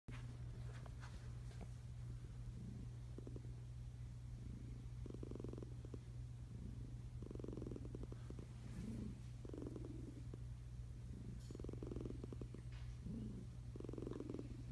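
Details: Sleeping cat under a blanket, a tiger-striped domestic cat, breathing in soft low snores; a steady low rumble underlies short breathy pulses every second or two, faint rustles on top.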